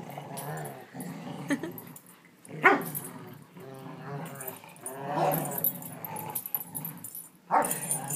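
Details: Two dogs, Lexie, a 1.5-year-old Rottweiler, and Riley, a 5-year-old Rhodesian ridgeback, chow and vizsla mix, play tug of war on July 18, 2012: low, rumbling continuous growls with a sharp yelp, while a person talks over them.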